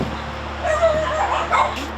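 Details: Dogs kept in tiny cells on a dog farm give short yipping, whimpering barks that rise and fall in pitch, several overlapping, over a steady low electrical hum.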